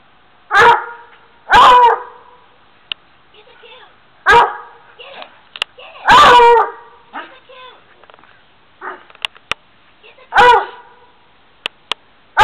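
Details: A Black and Tan Coonhound finds a stuffed raccoon in a tree and gives repeated loud, ringing bays and barks about every one to two seconds, with softer whines and sharp clicks between the calls.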